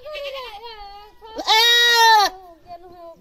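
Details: Goat crying loudly: a softer drawn-out bleat rising into one loud, harsh, wavering scream under a second long, then fading lower bleating.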